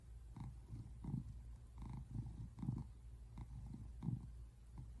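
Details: Simon the tabby American Shorthair purrs on a couch while resting, February 8, 2024; short, deep throbbing bursts recur every half second or so above a faint steady hum.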